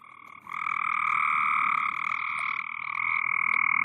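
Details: At night during severe storms, frogs on a pool cover croak in a steady, buzzing trill that pulses rapidly and holds an even pitch, seemingly communicating.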